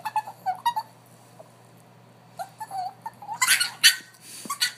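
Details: Dog making a funny vocal sound: short, wavering whines and squeaky tones, broken by several harsher, noisy bursts near the end.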